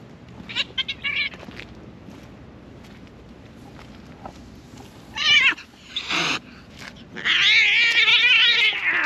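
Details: Domestic cats fighting while defending their territory: after a quiet stretch with faint noises, short screechy bursts break out, then a long harsh, wavering scream rises and holds for about two seconds at the end.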